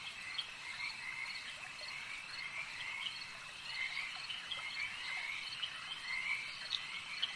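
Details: Lakeside frog chorus: overlapping frogs keep up a constant, ringing drone, with brief rising croaks and clicks standing out irregularly, slightly louder swells near the middle and end.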